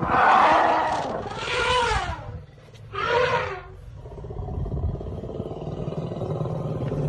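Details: An elephant gives two loud, harsh, roaring blasts, then a low rumbling background, around the birth of a baby elephant.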